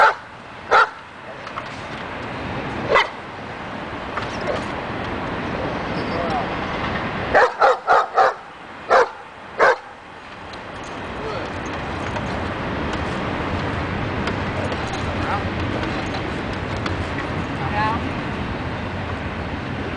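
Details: Daja, a dog worked on the agitation table for more confidence and barking, lets out single barks early, then a tight cluster of four to six barks around the middle, against background noise and some voices.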